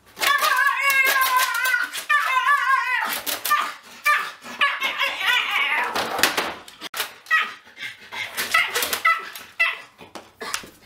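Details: Pug that hates being weighed, barking and biting at the sight of a scale indoors; opens with wavering, whiny harmonic yelps, then a rapid, irregular run of sharp barks and snorting bursts.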